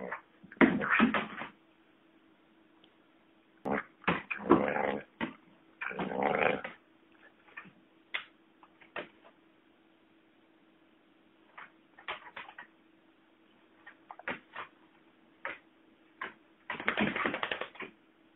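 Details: Banjo, a lurcher collie cross, playing with his rope: irregular bursts of low rough growling and snuffling noises come in clusters with pauses between, over a steady faint hum in the background.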